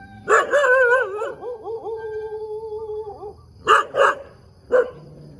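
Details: In the morning in the middle of a road, a dog starts with a loud bark, slides into a long, steady, slightly wavering howl lasting over two seconds, then ends with three separate sharp barks.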